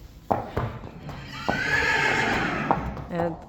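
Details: A Friesian horse gives a long, quavering neigh, with hoof thuds and a brief human voice, at a stable on a windy, cold day as the mares are led out.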